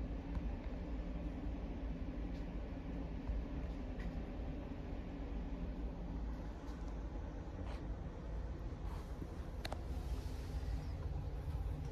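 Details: Quiet low indoor hum like distant traffic, with a few faint knocks and ticks and no animal calls.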